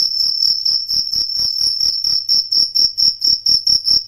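A cricket gives a steady high-pitched trill broken into rapid pulses, about three to four per second, with no other sounds.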